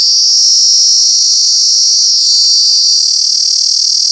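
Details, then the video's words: Cicada at Alaveddy, Jaffna, producing an ear-piercing, deafening high-pitched drone: a continuous, steady, shrill hiss that holds unbroken throughout with only slight wavering in intensity; no other sounds stand out. "சில் சில் சில்வண்டு"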